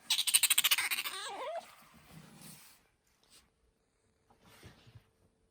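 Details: Pet otter kept at home giving a rapid burst of sharp pulsed chirps, about ten in a second, sliding into a short wavering squeak, then quiet rustling and faint soft sounds indoors.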